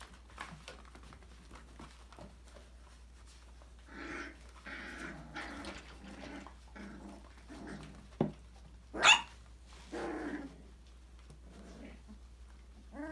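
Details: Five-week-old Australian Labradoodle puppies from Autumn's December 2020 litter playing in an enrichment playground; scattered short yaps and harmonic yelps build midway, with a sharp louder yelp near nine seconds amid clattering thumps and scuffling.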